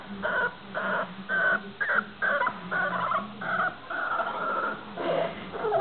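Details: Staffordshire bull terrier puppy named Ted, nine weeks old, giving a run of high, tonal whines and yelps, each about half a second long, some rising then falling, repeated almost twice a second with brief gaps.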